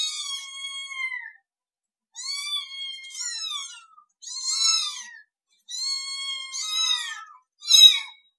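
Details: Kittens meowing in a compilation: five separate high, thin meows, each sliding slightly downward with bright stacked harmonics, separated by short silences, the last one brief and sharp.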